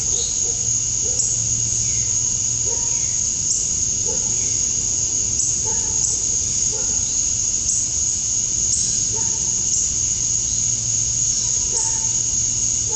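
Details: Male cicadas singing for females at dusk on a summer night in Georgia, USA: a constant high buzz, with short, soft, lower chirps recurring about every second in the background.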